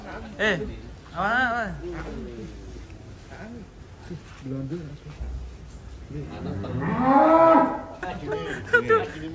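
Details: Among giant cattle in Wonosobo, some up to 1.3 tons, a full-throated moo rises near the end after scattered shorter vocal sounds and voices of people.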